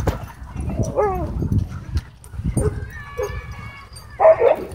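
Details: Dog play at a dog park: short whining, rising and falling vocal slides mixed with low growly rumbles, ending in one loud, sharp bark-like burst.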